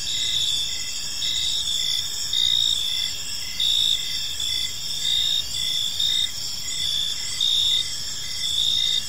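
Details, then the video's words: A chorus of crickets in a park at evening, with shrill continuous trilling overhead and a clearer chirp repeating in short bursts about every second, over a quiet low rumble. "Park Serenade: Cricket Sounds in a Peaceful Park"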